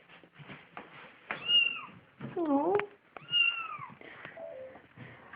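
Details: Pet cat at home indoors, where another household cat brought in a dead baby bird: two clear arching meows that rise and then fall, with a short bent squeak between them, alongside people talking.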